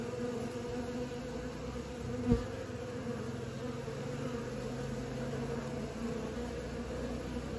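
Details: Young honey bees practising flight make a continuous swarm hum, a low layered drone that stays level, broken once by a sharp click a little past two seconds.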